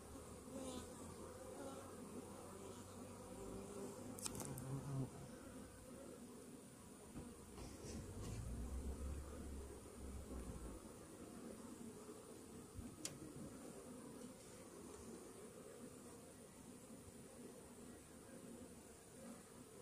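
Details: Honey bee colony buzzing inside a Varroa-infested hive after a morning anti-mite treatment; dense continuous low hum with small swells, interrupted by a few sharp clicks or knocks around the fourth and thirteenth seconds.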